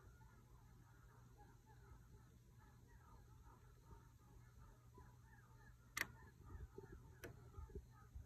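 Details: A distant group of eastern coyotes (Canis latrans), pups and adults together, gives a group howl with yips, barks and wavering, overlapping howls.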